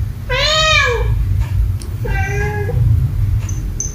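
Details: House cat meowing angrily at another cat indoors: a loud, drawn-out, arching meow followed by a shorter, softer meow a second later, with a low background rumble throughout.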